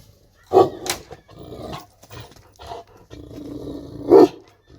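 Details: Kangal dog giving a rough, loud bark, then low rumbling growls in uneven bursts, and a final sharp, harsh bark near the end.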